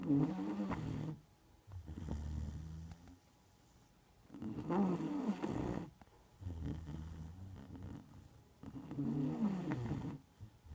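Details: Asleep, the Neapolitan Mastiff Margo produces loud grating snores alternating with deep, softer rumbling breaths, a slow steady breathing cycle in a quiet indoor setting.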